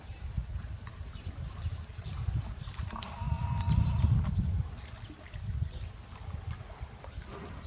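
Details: Mampuku, a one-year-old hippopotamus calf at Tobe Zoo, 20 April 2022, answering his mother Mimi's call with a childlike 'puu'. A low, breathy rumble lasts about a second and a half midway over steady low background noise.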